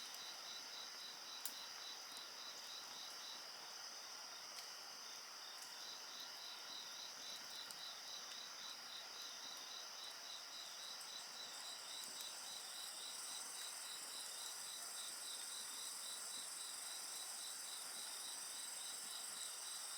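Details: Insect voices accompany a bonfire: a dense run of quick high chirps, several per second, over layered shrill trilling that grows fuller midway, with scattered soft crackles of fire.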